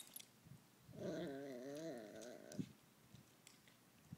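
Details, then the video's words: Miniature Pinscher puppy talking back over a bone: a wavering, harmonic grumbling whine lasting about a second and a half, rising and falling in pitch, followed by soft chewing clicks in a quiet indoor room. "Min Pin Puppy Talks Back"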